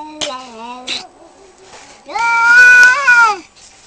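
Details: Two male cats fighting over territory just outside a home: short wavering harmonic wail, a pause, then a louder drawn-out nasal howl that holds steady before sliding down.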